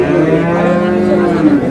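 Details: Dairy cow or calf of an improved breed at Ambari haat cattle market in Dinajpur, Bangladesh, 17/4/26: a short, steady, droning low moo filling the moment, with market voices underneath.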